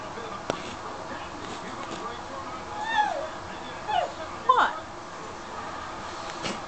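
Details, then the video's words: Domestic cat named Daphne asking for food after her people ate dessert without her, three short falling meows in the middle seconds, with a person talking to her before and after. "Daphne Wants Nom-Noms"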